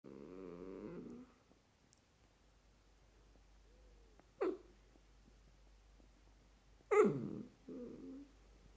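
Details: A Dachshund puppy wanting more attention whines and grumbles, with a drawn-out moan followed by sharp yelps.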